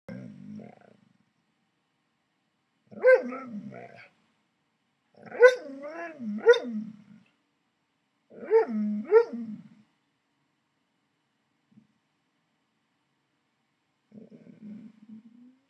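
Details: Alaskan Malamute named Koda talking with its owner in bed, answering repeated "I love you": three bursts of wavering, yodel-like howls with rising and falling pitch, separated by short pauses, soft low grumbles at start and end.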